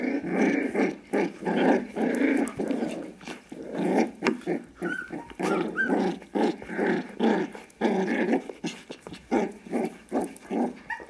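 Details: Five-week-old Kooikerhondje puppies from Quita's litter goof around together indoors. They keep up a busy stream of rough play growls and short yaps, in dense bursts that follow one another almost without pause.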